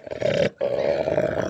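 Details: Female Belgian Malinois growling aggressively while defending her stick: a loud, rough, continuous growl with a brief break after half a second, then resuming steadily.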